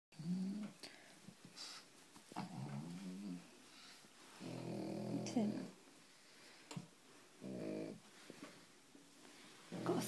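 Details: Female pug, exhausted after a walk, lies on her back asleep while her paws are dried. Low rumbling snores come in short bursts every few seconds, with rustling and soft handling noises in between.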